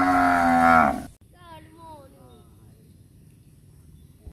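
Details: Cows looking for food in a housing complex; one gives a loud, full-throated moo lasting about a second, then fainter wavering calls follow.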